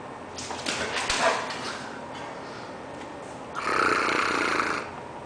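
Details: American Bulldog named Diesel, 11 months old and 102 lbs, acting a fool indoors: rough, breathy growl-like bursts around the first second, then a louder, longer noisy snorting rumble near four seconds, over steady room hiss.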